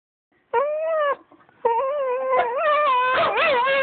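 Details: Dog howling: a long, steady, tonal howl with rich harmonics, a short break, then a longer wavering howl that rises and dips in pitch before settling, fairly loud and close, with no other clear sounds.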